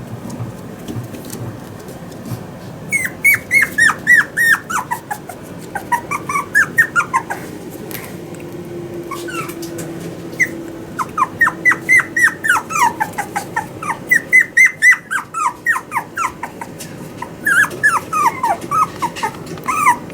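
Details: Toy Poodle puppy, male, born 18 August 2019, kept at a pet shop in Yokosuka, Kanagawa, Japan: long runs of squeaky, falling whines repeated several times a second, pausing briefly between bouts, with faint room noise beneath.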